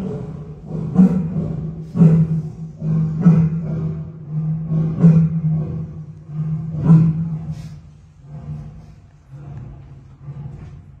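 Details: Dusk roaring by a lion at Kaohsiung's Shoushan Zoo: deep rhythmic grunts roughly every second, slowing and fading toward the end of the series, with a constant low drone underneath.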